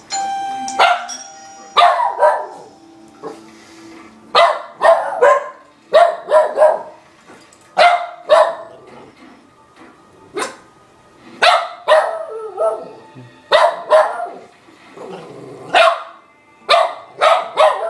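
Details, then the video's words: Papi, a pet dog, barking at the doorbell: loud, sharp barks in quick bursts of two or three, repeated every second or two throughout, with a ringing doorbell chime near the start. "Papi barking at doorbell"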